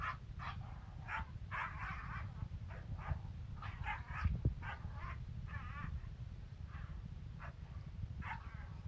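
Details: Kangal dog giving a rapid run of short, sharp barks and yips, bursts tumbling over one another for nearly nine seconds above a steady, heavy low rumble of background noise.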